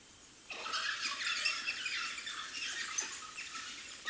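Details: Puppies of the African wild dog calling at their den, where a sudden burst of shrill, overlapping squeals and twitters starts after a short pause and carries on as a dense, high-pitched chorus.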